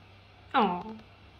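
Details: Mićo, a male lynx point (tabby point) Siamese cat, wanting something from his owner, gives one short meow. It opens bright and drops quickly in pitch, then trails off against a low steady hum.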